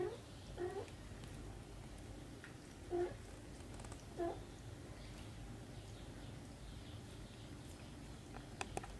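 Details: Kittens still suckling from their mother cat; three short, soft meows spaced about one to two seconds apart, with quiet rustling and a low background hum between them.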